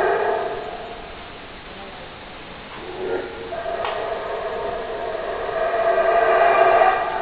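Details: Howler monkey roars rise and fall in droning harmonic waves, a quieter stretch in the middle before the howling swells again and grows loudest toward the close.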